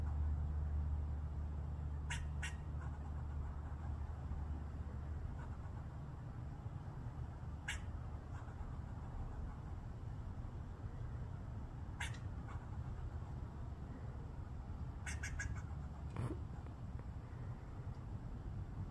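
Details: A squirrel on a roof, grooming and eating from the gutter, gives short, sharp chirps every few seconds over a low background rumble; the cause is unclear, and the observer wonders what it is mad at.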